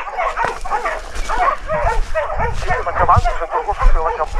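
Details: Hunting dogs holding a large wild boar at bay in Ribagorza, Huesca, during a hunt: dense, rapid barking, several short harsh barks a second, overlapping as if from more than one dog, with faint low rustling beneath.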